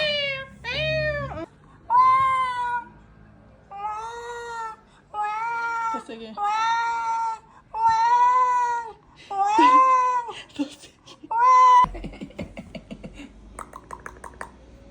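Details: Ragdoll cat being teased in a small room, producing a rapid string of about nine strong, clear meows roughly one second long each, arched in pitch, closing with softer rustling sounds.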